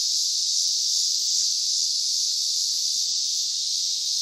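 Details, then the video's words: Cicadas buzzing loudly in an unbroken, shrill hiss-like drone with faintly pulsing intensity, dominating the soundscape throughout. "Cicadas are loud"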